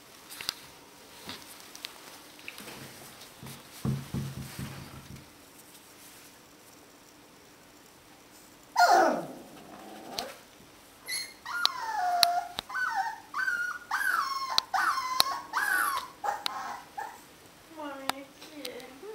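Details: Alaskan Malamute puppies, 18 to 25 days old: after a sharp burst near nine seconds, a run of high, wavering whines and short yelps fills the last eight seconds, rising and falling in pitch, over a quiet background with a faint low hum earlier.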